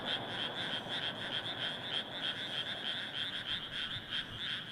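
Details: Many frogs calling together in a rice paddy in Japan, a paddy different from an earlier one: fast, regular pulsed croaking, roughly three per second, forming an unbroken dense chorus.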